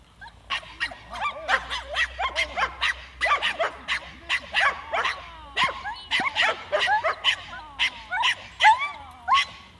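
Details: Seven-month-old Staffordshire bull terrier barking during defence training: rapid, sharp barks in dense bursts, several per second, mixed with higher whimpering yips and a low background rumble.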